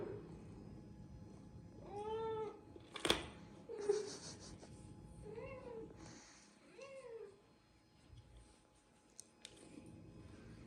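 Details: Cats and kittens calling while wanting to eat crunchy biscuits indoors; several arching harmonic meows around two to three seconds apart, with a sharp click, rustling and faint background hum between calls.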